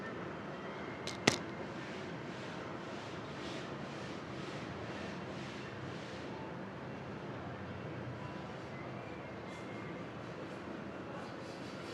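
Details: Quiet indoor background hiss with one sharp click near the start and faint soft rustles; no animal voice is heard.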